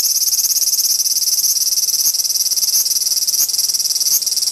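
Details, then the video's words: Large brown cicada squabbling over territory, a harsh pulsing sizzle that throbs rapidly, broken by brief sharp accents every half second or so. "アブラゼミの諍い（Dispute of large-brown-cicada ）"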